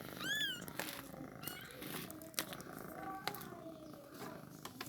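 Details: Newborn kitten at feeding time gives one clear high mew that rises and falls, rich in harmonics, at the start, followed by soft purring, sucking clicks and handling sounds.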